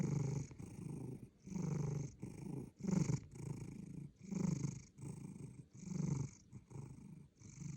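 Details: Loud snoring from a sleeping cat: regular low, rough breathing pulses roughly every second and a half, each a gravelly rumble that rises and dies away.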